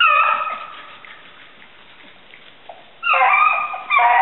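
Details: Hounds Gurdy and Magnum on a February 5, 2012 bunny hunt in southern New Hampshire. One loud bay opens, a quiet stretch of nearly two seconds follows, then two more strong, ringing bays.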